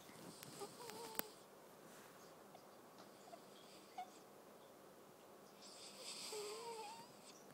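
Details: Domestic cat named Awar, eldest of the household, breathing heavily while dreaming: a long hissy breath near the end, faint squeaky tonal whimpers in between, and a few small clicks against quiet indoor background.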